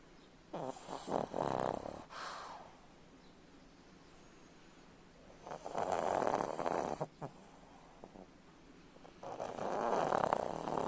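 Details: Steady pug snoring: three separate rasping, fluttery snore bouts roughly every four seconds, each lasting one to two seconds, with quiet breathing between them and no other sounds.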